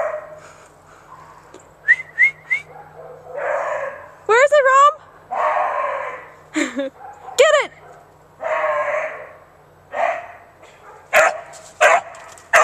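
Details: Beagle Romeo Scott, a pet dog, gives a mixed run of rough baying bursts with high, sliding whine-like yelps between them, then a string of sharp, short yips at the close.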